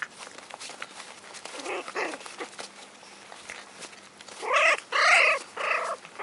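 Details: Rainy and Rudy's four-week-old American Hairless Terrier puppies: after quiet rustling, a few soft yelps, then a cluster of loud, piercing squeals in quick succession near the end.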